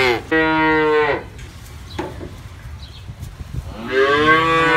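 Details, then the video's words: A cow lets out a loud, even moo lasting about a second, then a quiet gap with faint rustling and a soft thump, before a second moo swells up at the end; calves and adults feature. "COW SOUNDS FOR KIDS: Baby Cows Go Moo Too"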